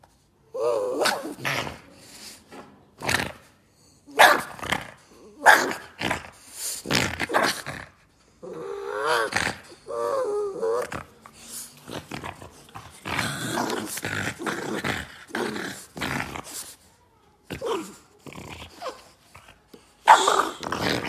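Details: A Boston Terrier fighting with a shoe growls and grunts in rough bursts, with whiny rising tones between them.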